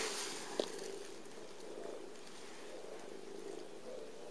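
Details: Latoya, a gentle, glossy-furred little adoption cat, purring as she nuzzles back while being stroked: a steady, soft continuous rumble throughout, with one sharp click near the start.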